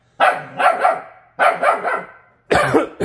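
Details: A Jindo dog, genetically tested purebred and saved from a slaughterhouse, reacts to its refrigerator reflection with rough, loud double barks, then a third burst after a brief gap, in a small room.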